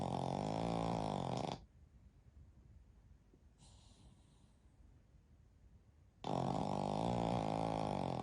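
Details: Snoring from a sleeping flat-faced Pekingese x Shih Tzu mix, one of a family of three dogs (Shiro, Shii and daughter Shiiyu) napping together indoors: two loud, harsh, rasping snores, each over a second long, separated by a long quiet pause.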